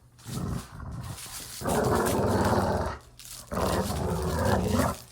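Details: Playful dog growls as a short, low rumble, then two long, loud, gravelly growls, each over a second, with a sharp break between them.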